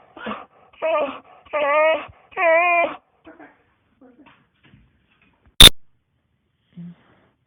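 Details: Whining dog in a small room gives four tonal, quavering whines in quick succession, each longer than the last, then falls quiet apart from a sharp click and a faint low sound.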